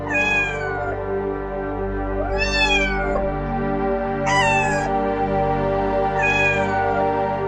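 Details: Four meows from a cat, each rising then falling in pitch, repeated about every two seconds over a sustained background of music.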